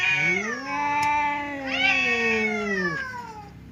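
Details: Fierce cat Temon meets quiet cat Lelo, a divider keeping them apart as they threaten to fight; one continuous low yowl climbs, holds in a throaty drone, then bends upward again and slowly falls away.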